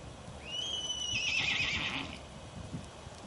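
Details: A black Miniature Horse whinnies once, a high, shrill call with a rising then level tone lasting about a second and a half, followed by quieter rustling and faint low background noise outdoors.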